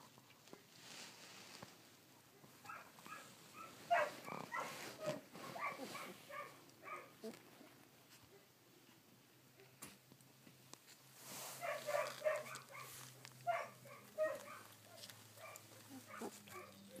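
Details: Collie puppies sixteen days old, filmed on 3 June 2013, give high, squeaky whimpering calls in two bursts separated by a quieter gap, each cry short and harmonic-rich, with a low steady hum beneath.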